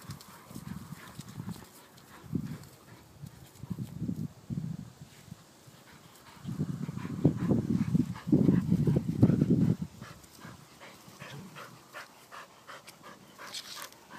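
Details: One Yorkshire Terrier named Playboy playing roughly with two Soft-coated Wheaten Terriers, Nittany and Harley: low, rumbling growl bursts come in irregular clusters, thickest and loudest through the middle, with pauses of quieter scuffling between.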